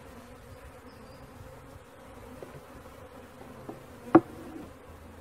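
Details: Quieter buzzing of a honey bee swarm during capture, a soft even drone with a few faint taps and one sharp knock near the end.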